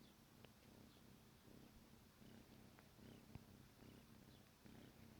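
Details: Kitten Negi, about 14 weeks old, purring softly during a morning wake-up; faint, even, low rumble under steady background hiss.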